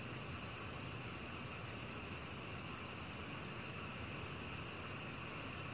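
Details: High, clear chirping of a black cricket, recorded in 2020, with evenly spaced pulses about three per second throughout and a quiet background hiss.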